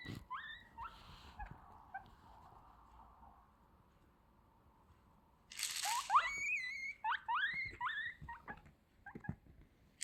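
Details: A guinea pig gives loud, squealing wheeks that rise and fall in quick bursts when its vitamin box is shaken.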